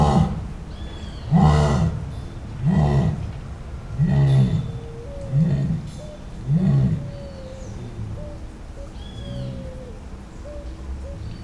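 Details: Wild jaguar, Panthera onca, roaring: six deep, rasping grunts roughly every second, then quieter. Faint whistled bird notes sound in the background, especially near the end.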